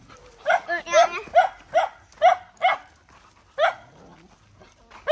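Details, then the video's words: Fighting to guard her puppies, a mother dog barks quickly and repeatedly, about two or three sharp yelping barks per second, with a short gap before a final bark. "Poor Dog Fighting Protect Babies"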